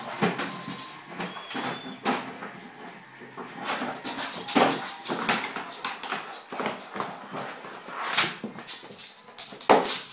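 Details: Bull terrier playing wildly with his basket indoors during a playful spell, giving excited whimpers and grunts amid loud rustling, thumping and scraping of the basket, the noises coming in irregular bursts.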